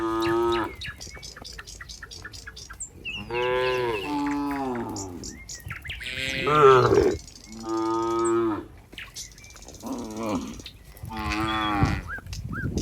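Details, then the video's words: Herd of cows in a barn with a cowherd arriving, repeated long moos every two to three seconds, some strained and rising, several overlapping, with brief bird chirps in the background. "the sound of cows"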